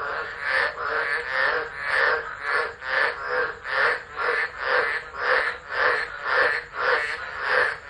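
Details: Tropical frogs calling in chorus during a tropical low storm at Driver, Northern Territory, Australia, December 2013, phone left recording; rhythmic pulsing croaks about twice a second, overlapping voices forming a steady swelling wall of sound.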